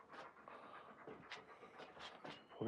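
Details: Raven, an Alaskan Malamute, outside near dinnertime with her long tongue hanging out, panting in soft breathy bursts roughly every quarter second, with quiet outdoor background and a sharper knock at the very end.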